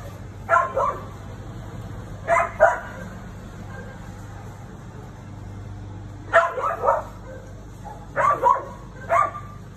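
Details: A female Siberian Husky confronting the neighbour's cat, giving short bursts of two or three sharp barks every couple of seconds, separated by quiet gaps with a steady low hum in the background.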